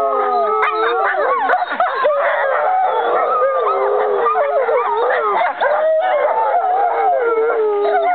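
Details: American wolfdogs, five siblings or half-siblings, howling as a group on 5.11.2011; many layered voices mixing long level howls with warbling, rapidly rising and falling cries and short yelps, unbroken throughout.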